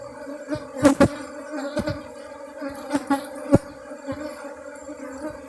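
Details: Honey bees in Bener Meriah, Aceh: a steady low humming drone with a clear overtone above it, broken by several sharp knocks and thuds.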